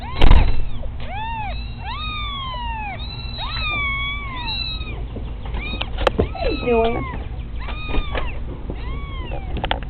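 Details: Several young kittens, kept as pets, meowing loudly and repeatedly: many short overlapping high arched mews tumbling over one another throughout, with a steady low hum underneath.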